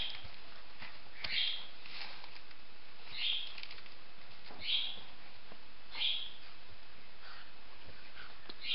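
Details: Weimaraner puppies with their mother Asha, pups old enough to have puppy teeth, eat solid food and sleep outside the whelping box; short high-pitched squeaks repeat roughly every one and a half seconds, five in all, over a quiet indoor background.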